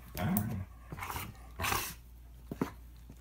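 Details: Toy Manchester terrier and Standard poodle fighting: a few low growls and snarls spaced apart, with a brief sharp yelp near the end.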